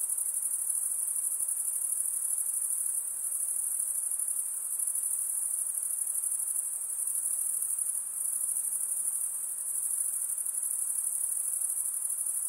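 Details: Insects at night produce a continuous, thin, high-pitched buzzing trill, even and unbroken throughout, with a faint hiss of lower background noise beneath.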